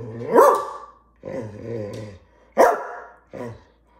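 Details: Female greyhound demanding her dinner: a loud bark that slides into a drawn-out, moaning whine, then a second sharp bark followed by a short grumbling tail.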